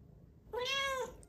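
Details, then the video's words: Female Bengal cat kept indoors, answering when asked if she is hungry: one clear, half-second meow, steady and slightly arched in pitch, with rich harmonics, after a quiet room. "I Ask Her if She's Hungry. She Says Meow."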